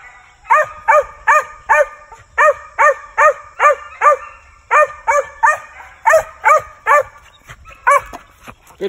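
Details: Rush, a male Original Mountain Cur squirrel dog in training, barks in a fast run of ringing yelps, pausing midway and resuming, while a man praises the dogs and urges them to follow it.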